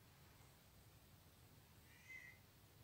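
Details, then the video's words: Indoor house cat responding to recorded calls of unknown cats, defending her territory against the intruders; a single short, faint meow near the end over a steady low room hum. "best cat reactions to cat calls"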